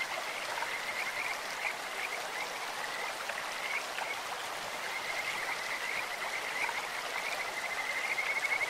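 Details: Along a clear stream, Kajika frogs give a sweet, bird-like voice: short wavering trilled notes early, then a rapid pulsed trill building in the last seconds, all over steady rushing water.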